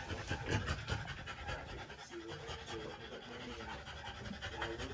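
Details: French Bulldog female panting during trans-cervical insemination: rapid, breathy huffs repeated about two or three times a second, with human speech murmuring in the background.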